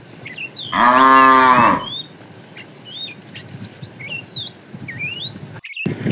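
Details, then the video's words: Tame cows herded in the morning toward green grassy fields; one loud harmonic moo about a second long, rising then falling slightly, over steady chirping and whistled bird calls in the background. "Funny cow sounds"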